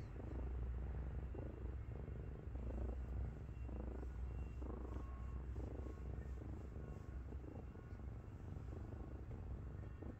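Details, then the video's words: Stretched out on a person's stomach, Miru the 7.5 kg pet cat keeps up a thick, throbbing purr, its low rumble pulsing in soft waves over ten seconds, with faint rustling. "7.5kg 고양이가 자꾸 배위에 올라와요... 숨막힘 (골골 탱크소리+폭풍애교)"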